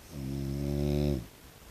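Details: Tiger brindle French Bulldog, a pet that rarely barks, recorded in everyday life making its snorting, snoring noises: one drawn-out, low, throaty nasal grunt lasting about a second, with a fluttering, pulsing texture, then quiet.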